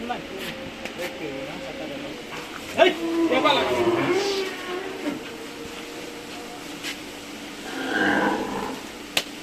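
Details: Two Sahiwal cattle kept by a small farmer in Sonargaon for sale before Eid; a long, harmonic moo rises and wavers for about two seconds, then a lower, fainter moo follows near the end, with men talking and a steady background hum.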